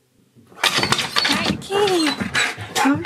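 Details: Siberian Husky indoors, excited on hearing his favourite words about his best friend Sherpa coming to visit: loud, wavering whines and howl-like talking with gliding pitch, overlapped by a person's excited voice.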